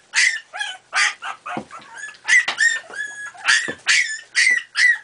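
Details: Playing Miniature Pinscher puppies aged four and a half weeks give a steady run of sharp, high yips and squeaky barks, roughly two per second, with a few lower, rougher growly notes mixed in.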